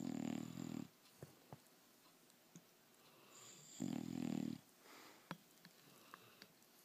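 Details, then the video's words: English Bulldog snoring while asleep indoors: two loud, rough, low rumbling snores about three seconds apart, each lasting under a second, with quiet breathing and faint clicks between them. "My English Bulldog Snoring"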